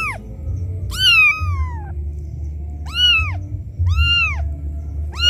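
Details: Loud crying of a kitten abandoned by its mother, calling out for her. Five shrill, bending meows, one longer drawn-out wail near the start, spaced about a second apart above a constant low rumble.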